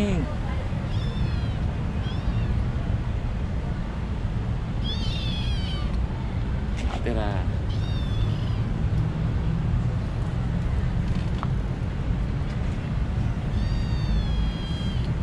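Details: Friendly kitten living with vendors on a street; several short rising-falling meows scattered through the clip over steady loud street noise and traffic rumble.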